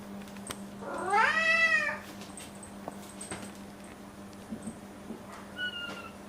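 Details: A pet cat at 1:30 at night meowing for food by the bed, one of Momo and Nana. A long, loud, rising-then-falling harmonic meow, followed later by a faint short whistle-like mew over a low indoor hum.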